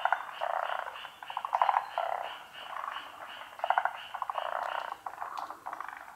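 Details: A large frog chorus at a pond, callers unseen, of unknown species, overlapping rapid pulsed croaks swelling and fading in waves; frog.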